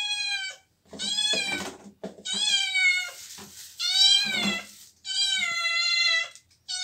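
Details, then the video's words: Cats meowing loudly and almost continuously, long harmonic-rich wails that overlap and follow one another with barely a pause, some with a rough, strained edge, in a small indoor space. "cats meowing sounds"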